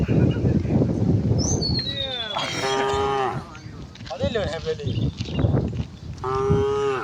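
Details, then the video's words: Tame cows in a herd strolling toward a wide pasture on a quiet, sunny morning. Several deep, drawn-out moos with bright harmonics overlap and follow one another, some bending downward at the end, with a short bird chirp early on. "the sound of cows"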